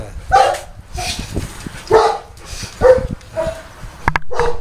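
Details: Boerboel at the Delatro Boerboels kennel, 30 October 2013, barking steadily: about five deep, hoarse barks roughly one second apart, with a sharp click and quiet talking between them.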